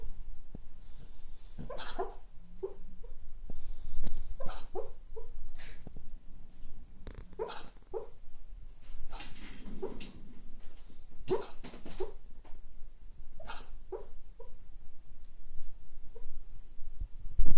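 A cocker spaniel gives soft, muffled whimpers and small yips in its sleep.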